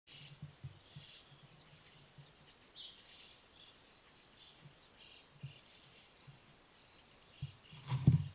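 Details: Wild Ezo red fox kit at its den in Hokkaido, Japan, filmed by trail camera while hiccuping: soft, low, short thumps repeat roughly every half second, with faint high bird chirps behind and a louder burst near the end.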